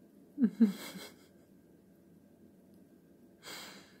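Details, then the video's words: Female pet cat indoors, trying to catch a fly, gives two quick chirping bursts about a fifth of a second apart, followed by a soft breathy hiss near the end in a quiet small room. "Cat is doing weird sounds because of a fly"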